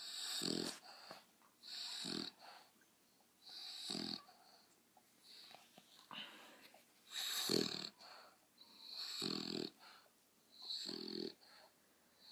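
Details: Pet dogs making weird noises: wheezy, snore-like breaths, each a hissing rush with a deep grunting core, repeated about every one and a half to two seconds, with seven or eight bursts heard.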